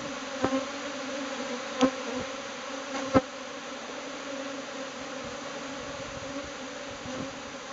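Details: Swarming Japanese honeybees leave their clustered ball and fly off as a cloud to a new nest site; continuous humming drone with several sharp, loud buzzes as single bees zip past near the start and around three seconds.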